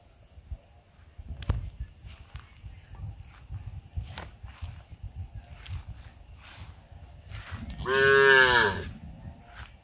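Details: Cow in India, shaking its head while calling to its friends to eat together: rustling and knocking for several seconds, then one loud, rich harmonic moo lasting about a second, wavering slightly.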